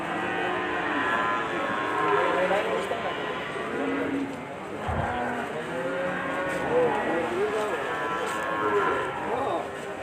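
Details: A big but calm, unaggressive bull. A chorus of cattle moos overlaps, with arched, wavering harmonic calls. A sharp low thump comes midway, with music and crowd noise behind.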